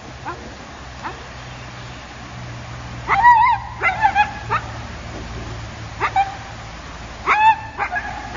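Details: Akita puppy, one of several puppies, being scolded indoors; short, high yipping barks come in small bursts near three, four, six and seven seconds over a low background hum.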